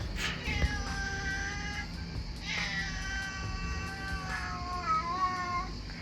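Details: Domestic cat looked after by a pet sitter in France, called down from an olive tree at feeding time and talking in a drawn-out way: long wavering meows, one early and a longer one later, over soft background music.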